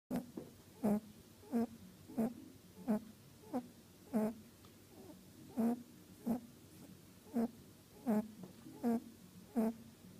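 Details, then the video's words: Mali, a female meet-and-greet rabbit at a rabbit orphanage, sleeps after a long day, giving short soft snorts that repeat roughly every 0.7 seconds, each a brief nasal puff, in a quiet indoor room. "Mali our Snoring Bunny"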